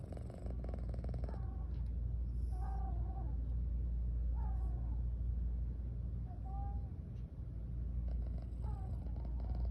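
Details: Drowsy female house cat purring and yawning: a continuous deep purr underneath, broken by several short, thin, squeaky vocal sounds that slide slightly up and down, spaced a couple of seconds apart.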